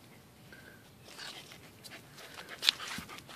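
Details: A corgi sniffs in quick, breathy bursts of air while smelling flowers on Easter Sunday.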